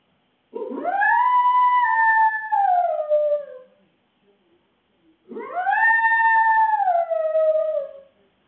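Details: Shih Tzu poodle cross dog home alone, caught on CCTV howling: two long, clear tonal howls, each rising then slowly sliding downward over about three seconds, with strong harmonics and a quiet gap between them.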